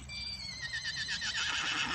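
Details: Excited Falabella miniature horse gives a long high whinny that starts as a clear tone and breaks into a rapid shaking vibrato that falls and fades, with a person speaking nearby.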